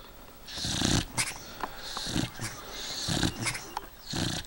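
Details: Eight-year-old beagle asleep and snoring, breathy rasping snores with short snorts in between, about four breaths across a few seconds, against quiet indoor hiss.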